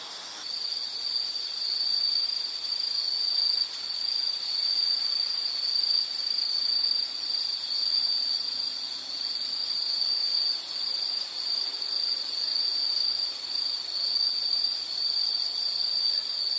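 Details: Continuous high insect trilling from a calming nature-sound recording, one unbroken shrill buzz holding steady throughout with slight swells in loudness and low background hiss.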